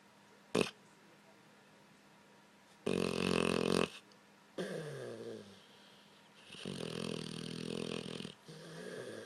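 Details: Loud snoring from a sleeping blue nose pit bull, overweight: uneven rasping breaths in bursts of one to two seconds with quiet gaps, a sharp click early on, and a longer gurgling snore toward the end.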